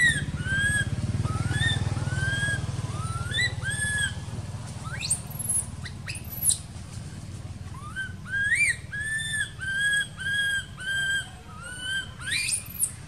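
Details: Baby monkey in an archaeological park, left uncared for by its mother, wails in repeated high arched cries and rising squeals, coming in quick clusters toward the end, over a low rumbling background.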